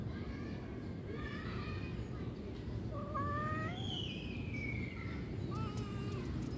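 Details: Cat mewing several times: faint calls early on, then a clear rising-falling meow, a higher sliding mew and a brief final call, against continuous low background rumble.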